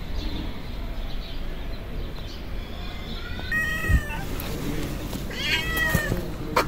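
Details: Hungry street cats, a tabby and a white cat with blue and yellow eyes, approaching a person. Two thin, high meows are heard midway and near the end over a constant hiss of outdoor background noise.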